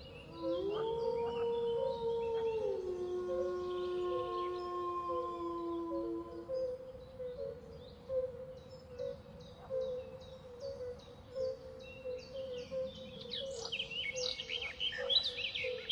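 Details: Wolf giving one long, smooth howl that rises, holds a steady pitch for about two seconds, then steps down and fades, over a constant sustained drone, with scattered high chirping and clicking sounds later.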